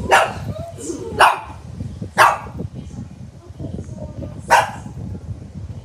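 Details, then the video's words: Pet dog barking at another dog: four sharp, explosive barks, the first three about a second apart and the fourth after a longer pause, with low background chatter and music. "barking at"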